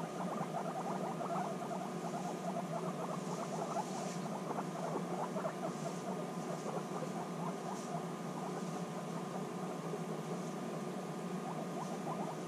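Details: Guinea pig girls meeting again after six months apart, bonding: long rolling rumble of fast stuttering pulses and occasional small squeaks, with faint higher rustles scattered throughout.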